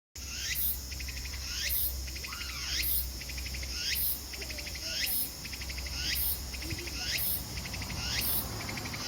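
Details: Meimuna opalifera cicadas sing in Kosasa-kita Park in Japan together with pine crickets, whose bright, pulsed chirps repeat about once a second, each followed by a swooping, rising whistle-like phrase, over a steady high insect hiss and low hum.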